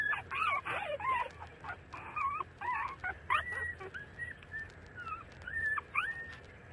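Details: Puppies about 30 days old feeding from their mother, making squeaky rising whines and short yelps in busy bursts over a steady background hiss.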